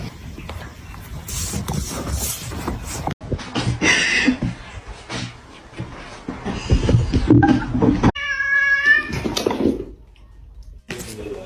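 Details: Cats in a fighting compilation: rustling scuffles and indistinct noise, then one clear, drawn-out harmonic meow near the end, followed by quieter sounds.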